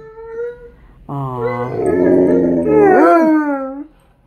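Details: A Malamute and a Blue Bay Shepherd howl together at home. A short steady howl breaks off, then a louder, rougher and deeper howl joins, bending upward and wavering before stopping abruptly.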